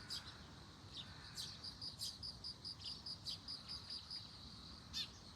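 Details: Bell cricket near globe amaranth keeps up its rapid high ringing pulses while a few sharp bird chirps cut in at the start, middle and end.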